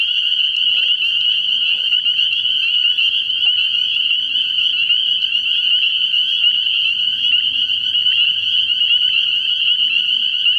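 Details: Night chorus of spring peepers at a frog pond early in the year, countless high piping peeps blending into one continuous shrill ring, while faint low croaks, perhaps a bullfrog, sound intermittently underneath.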